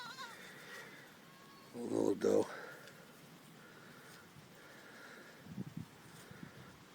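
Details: Goat kids, nine babies together in the goat pen while the mothers are out grazing, give one short, loud, harsh bleat midway, with quiet human talk and faint background murmur before and after.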